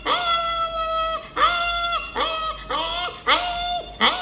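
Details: A puppy (Canis familiaris) whines in high, drawn-out cries, each rising sharply, then holding steady before breaking off.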